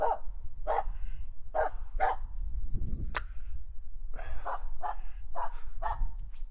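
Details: Aamu, a female Finnish Spitz, barks in wet falling snow on 9 January 2022 after finally finding a squirrel on a walk; sharp, loud barks come in quick runs, with a short pause midway and about ten barks in all.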